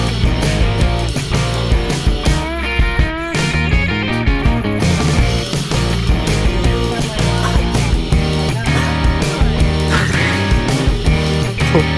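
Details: Loud distorted rock music with heavy guitars and drums fills the whole stretch, with no animal calls audible.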